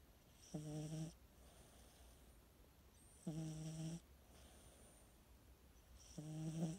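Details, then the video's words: A cat asleep snores in three even, low, droning rasps, each about half a second long and spaced roughly two and a half seconds apart, against quiet indoor background hiss. "Snoring 💤 kitty"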